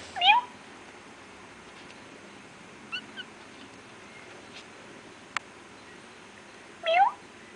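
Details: Feral kittens from an industrial area give two loud, rising, high-pitched mews several seconds apart. Faint short squeaks and a sharp click fall in between over a low hiss.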